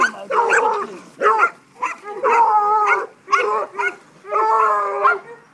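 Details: Mojag, a Treeing Walker Coonhound pup of five months, lets out five long, drawn-out bawls, each held close to a second and separated by short pauses, with a man cheering him on nearby.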